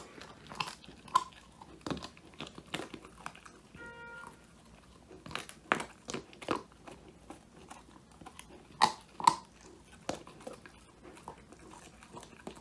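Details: Male Old English Sheepdog Woody munching his first treat, a whole quail, inside a room on a phone recording; irregular crunchy bites about twice a second, a short tonal squeak partway through, louder cracks later.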